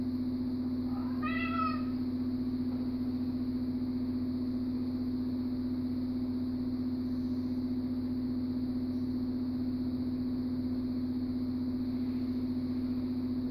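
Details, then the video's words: Siamese cat, called Thai, squabbling over sharing an armchair; one short rising-then-falling meow with clear harmonics near the start, followed by quiet with a steady electrical hum throughout. "Siamese Thai has a problem with sharing a armchair."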